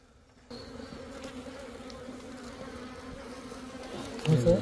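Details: Small bees at their little nest inside a hut: a steady low droning hum begins abruptly and holds throughout, with a louder rustle and burst of sound near the end.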